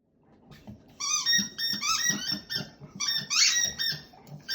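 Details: Black Labrador Retriever indoors in a multi-dog home, giving its whistle-like solo, a style it keeps up endlessly until stopped: high, squeaky, flute-like whines in quick wavering bursts, with soft breathy grunts underneath.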